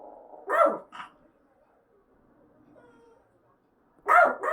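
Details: Pet dog indoors in an apartment during a fire-safety inspection, barking at a siren sounding in stages from a speaker: two sharp barks, a quiet pause with a faint electronic tone, then another loud bark.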